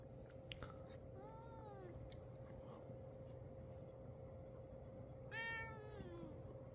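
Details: House cat, startled by a sneeze and angered at having its fur brushed backwards, gives two drawn-out, complaining meows: the first rising then falling near the one-second mark, the second louder and sharper around five seconds; steady low room hum throughout.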